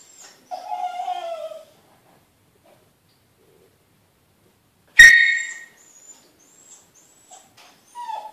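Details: Smooth Fox Terrier Ishot cries to be let out to the children playing outdoors, squeaking to soften those around him. A falling, harmonic whimper lasts about a second, then a sharp knock and a brief high squeak at the end.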